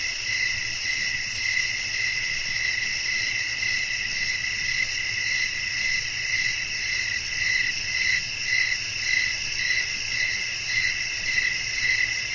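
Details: A chorus of crickets chirping on a breezy night, high and sustained, with ringing tones that beat in steady pulses of nearly two per second, backed by soft, low wind noise.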